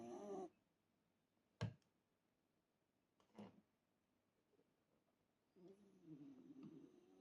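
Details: Hime, a Shiba Inu, snoring: a short rasping snore at the start, a few sharp soft clicks in the quiet middle, then a longer low, grumbling snore building toward the end.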